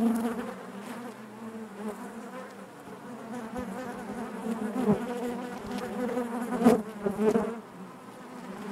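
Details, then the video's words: Honey bees buzzing in the hive, a steady low drone with harmonic stripes, growing louder toward the latter half where a few close bees flare briefly above the background hum. "bees therapy hive natural buzzing sound"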